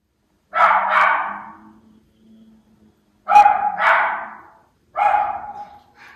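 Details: Miniature Schnauzer Levi alerting to activity on a frozen lake in the calm before a snowstorm, January 16, 2022, Aroostook County, Maine; three sharp barks, the first two doubled, spaced about two seconds apart in an otherwise quiet setting.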